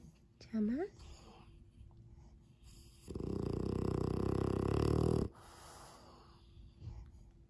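A sleeping French Bulldog puppy gives a long, rough, rumbling snore, preceded by a brief rising squeak.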